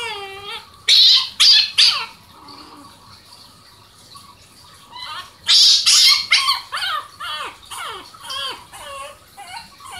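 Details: Puppies barking: high, squeaky yelps with a downward sweep, a short burst around one to two seconds, then a faster run of repeated yaps through the second half.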